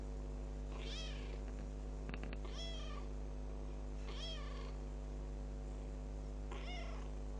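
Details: Kitten ten days after adoption repeating short high meows roughly every one to two seconds, each bending up then down, with a couple of small clicks between calls and a continuous low hum.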